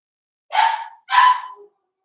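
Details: Five-week-old Cavalier King Charles Spaniel puppies from Daisy's litter in their puppy pen; two short high yapping barks, about half a second apart, each with bright harmonics over a steady tone.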